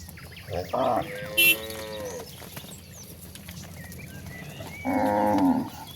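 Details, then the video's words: Cattle roaming out to an expansive grassland produce a short moo, a longer tonal low, and a final loud nasal moo, amid scattered bird calls and steady low rumble. "Suara sapi moo yang sedang berkeliaran menuju Padang rumput yang sangat luas"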